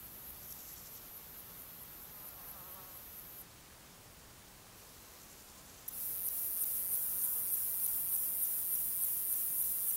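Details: A male fat-bellied saddle bush-cricket (Pycnogaster jugicola) gives its very high, hissing calling song of rapid pulses, Sierra de Guadarrama, 12 July 2019.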